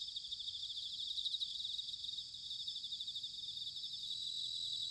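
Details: Autumn chorus of bell crickets recorded in Sanuki, Chiba, Japan: continuous high-pitched ringing trills from many insects blending into a shimmering wall of sound, over a faint low rumble.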